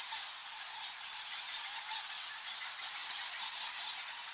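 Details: A dense, hissing wash of high squeaks and squawks from thousands of nectar bats in a cave.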